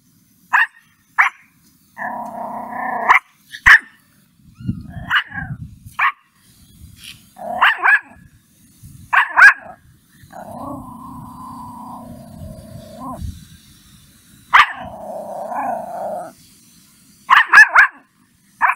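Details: Mimi, a puppy, angry at a stranger: sharp, short barks come singly and in pairs, broken up by longer, steady voiced sounds of lower pitch, with quiet gaps between.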